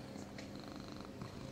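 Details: A rescued domestic cat in Cooktown, Queensland, Australia, purrs with a steady, low, rumbling vibration that runs without a break.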